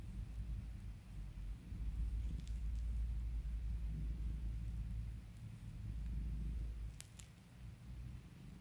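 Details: A pet cat purrs as it is being calmed and spoiled by its owner, a deep continuous rumbling vibration that swells and eases with each breath, with a few faint clicks near the end.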